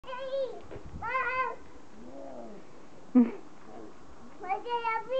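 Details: Standard Poodle puppies outside give short, high, tonal whines and yips while a person speaks softly.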